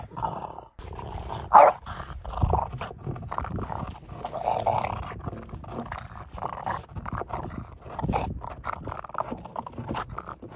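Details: A French Bulldog begs for sushi with low, intermittent grumbling growls and soft whimpering moans, broken by short pauses and one sharp louder burst near the start.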